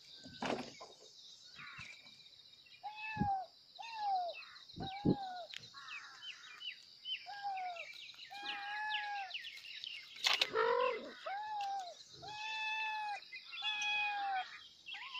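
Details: Kittens meowing loudly for their mother: a run of short, clear mews, each bending down at the end, repeated roughly once a second with brief gaps, plus a few sharper squeaks and a sudden loud knock partway through.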